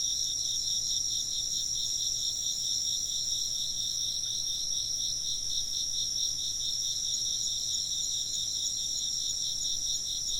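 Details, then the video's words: Insects chirping without a break, a thin high-pitched steady ringing tone above a lower band of quick rhythmic pulses, dense and unchanging across the whole stretch, with a soft low background hum. "風鈴の音と虫の声 - wind chimes and chirping insects"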